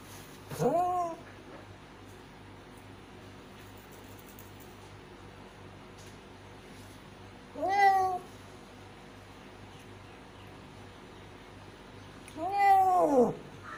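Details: Domestic cat in labour with five kittens gives three short meows spaced roughly five seconds apart, each rising then falling, over a low background hum.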